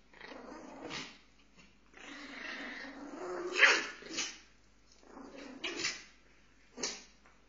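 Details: Pomeranians fighting: rough sustained growls with harsh snarling bursts and sharp yaps, several loud peaks separated by brief pauses.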